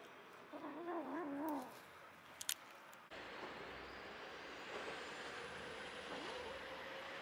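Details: Stray mother cat caring for seven kittens, four white and one tortoiseshell of her own plus two adopted orphans; a single wavering, warbling meow lasting about a second, followed by a sharp click and then steady broadband hiss.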